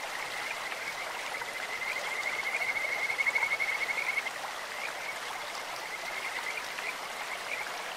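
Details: Kajika frog in a clear mountain stream giving a bird-like call: faint high trilling builds into a louder rapid pulsed trill around the middle, then fades back, all over constant flowing water.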